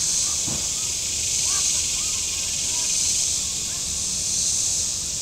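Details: Cicadas buzzing on the shore of Table Rock Lake, southern Missouri, on a warm Saturday: an intense continuous high hiss-like drone, with a few brief chirps from another bird-like caller and a faint low rumble.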